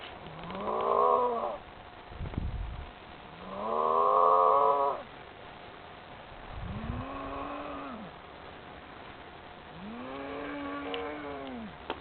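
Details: Cattle somewhere in France, drawn toward a man who calls to them: four drawn-out moos, each about a second long, rising and then falling in pitch, separated by short pauses and a few dull thumps.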